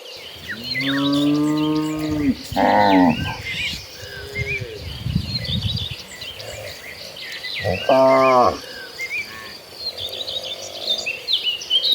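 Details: Cows in a herd moving toward green pastures let out short and medium moos with strong harmonics, some steeply falling, amid steady chirping of birds and rustling in the background.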